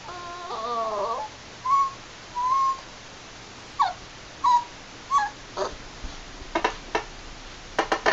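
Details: Seven-week-old Labrador Retriever puppy howling while playing: a wavering, harmonic howl of about a second opens, followed by a string of short, high whines and yelps, some rising, and sharp taps or clicks near the end.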